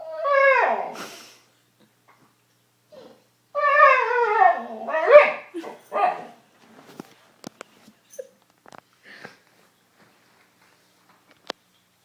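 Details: A dog making a range of odd noises gives two long, wavering, whine-like calls that bend up and down, then a few short yips, followed by faint clicks and taps in an otherwise quiet room.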